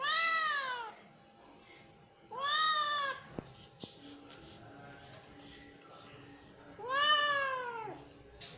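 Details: Three drawn-out kitten meows, each a loud, arched wail that rises then sags, spaced a few seconds apart, with a faint steady hum and small taps between calls.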